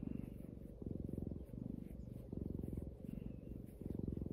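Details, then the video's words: Domestic cat purring for an ASMR recording, a deep rhythmic rumble that swells and eases in regular cycles of roughly three-quarters of a second, following its breathing. "ASMR cat purring"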